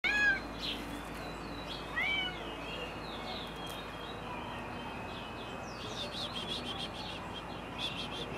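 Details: White female Turkish Angora cat on a summer day in Florianópolis, Santa Catarina, Brazil, gives two short rising-falling meows about two seconds apart. Birds chirp in the background, with a steady low hum throughout.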